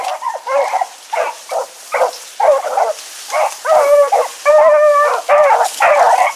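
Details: Hounds Choco, Dino, Johnny Ringo and Mingo running together on an August 2014 evening; slower, longer bays roughly once a second, some with clear drawn-out tonal howls, others chopped short.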